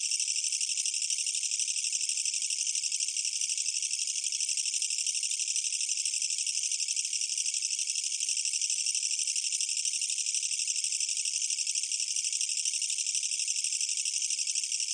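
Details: A Korean katydid (철써기) sings a loud, harsh, continuous buzzing trill that holds steady throughout; 2020 recording from Korea's National Institute of Biological Resources.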